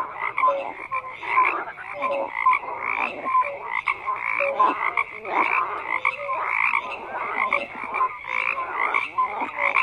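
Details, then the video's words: Frogs croaking in a dense chorus: overlapping pulsed, rasping calls around mid pitch with higher trills, short whistled notes sliding through, swelling and dipping continuously without pause. "FROGS CROAKING"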